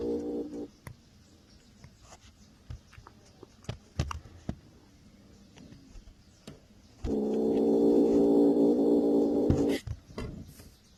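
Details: Angry kitten, growling as it attacks: quiet clicks and taps for several seconds, then a loud, even, harmonic growl held for almost three seconds before stopping abruptly.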